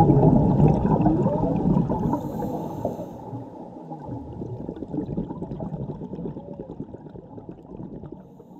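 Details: Underwater whale song from a mother and her calf, Mexico diving trip near Cabo Pulmo and La Paz; faint low sliding moans at the start, then rapid clicking and crackling water noise as the sound fades.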